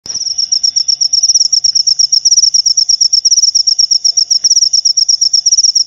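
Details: Cricket chirping: rapid, high, pulsed trill of short chirps in quick steady succession, loud and continuous throughout, with a faint low hum beneath.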